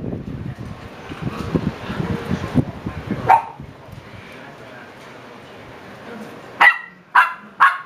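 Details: Young Shiba Inu puppies aged seven weeks; after low rustling and one brief yelp, three sharp, high-pitched yips come in quick succession at the close, roughly half a second apart.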